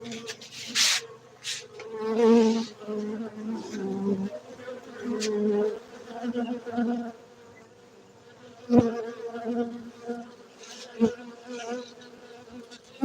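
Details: Honey bees at a beekeeping centre in Gayo, Bener Meriah, Aceh, Indonesia. A steady low buzzing hum swells and fades in waves, broken by sharp knocks and crackles near the start and later on.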